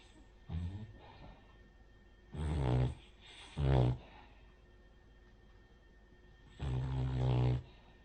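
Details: Rin, a flat-faced Cavalier King Charles Spaniel, snoring in sleep: a faint low snore, then two short rumbling snores close together, a pause, and a longer deep rattling snore.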